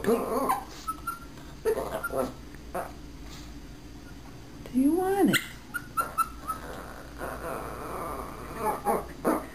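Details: Puppy being trained to speak on command, giving a rising and falling whine over about half a second, with short faint yelps and clicks around it and a person's voice in the background.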